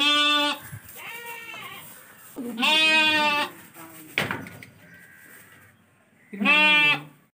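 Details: Lambs being sold call with loud, shrill, vibrating bleats, three main cries spread over seven seconds, plus a softer short bleat and a brief knock in between.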